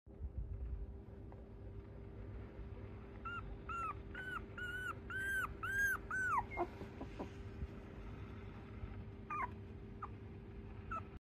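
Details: A white female Shiba Inu puppy born 27 September 2023 gives a run of high, arched whimpers, then a few more later.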